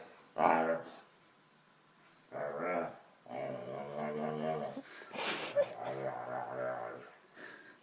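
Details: Jealous dog wanting attention, giving several low, harmonic grumbling growls in separate bursts of one to two seconds, the loudest at the start, with a person's voice nearby in a small indoor room.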